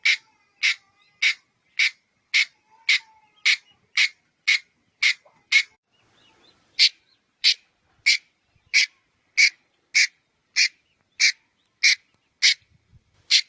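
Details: A red-headed squirrel gives a long run of rasping chuck calls, nearly two per second, pausing briefly midway before resuming the same even rhythm.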